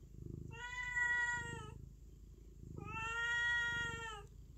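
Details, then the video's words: A cat meows twice, long level cries of over a second each with rich harmonics, a faint purring rumble beneath. "Cat meowing"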